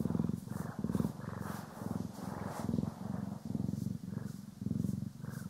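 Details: Steady rumbling purr of domestic cats Poki and Kiwi while being groomed and brushed, recorded in stereo; nearly continuous low vibration in short, closely spaced pulses, brushing sounds faintly mixed in.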